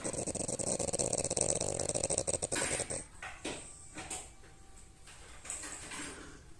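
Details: Sleeping French Bulldog snoring: a loud, rattly, rapidly pulsing snore for three seconds, then softer scattered snuffles and breaths in a quiet room.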